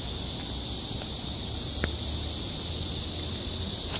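A cicada drones in a steady, unbroken high hiss throughout, with a single soft tap partway through.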